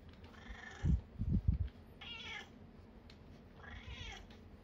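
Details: Fourteen-year-old red tabby Nana, testing a cat massage product, lets out three short meows about 1.5 seconds apart, each bright and falling in pitch, with soft low thuds of handling between them.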